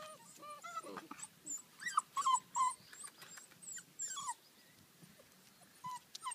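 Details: Ibizan Hounds at a kennel in 2013, giving short, thin whimpering whines that rise and fall, scattered irregularly in quick bursts with brief pauses between, over faint background rustling.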